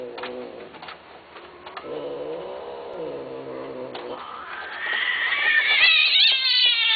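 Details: Domestic cat giving a long, drawn-out harmonic yowl. It holds low and wavering at first, then climbs steeply to a higher, strained wail in the last seconds, with faint clicks and background noise.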